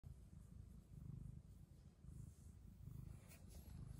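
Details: A Persian chinchilla cat purrs steadily, a deep rumbling throb that swells and fades in a slow rhythm.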